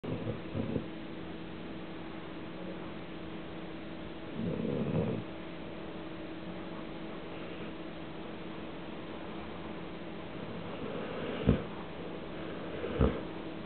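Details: Cassady, a small female Leonberger nearly 18 years old, snoring while asleep in Cambridge, Massachusetts, on 14 February 2008: two soft, rough breathy snores early on, then two sharp clicks near the end, over a steady low hum.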